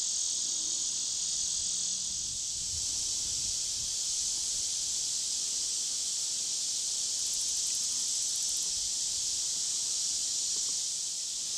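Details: Cicadas drone in a steady, high, hissing chorus without a break, with faint low rustling beneath, in July 2022 among Gaillardia pulchella flowers visited by butterflies; Indigo Buntings are also said to be audible.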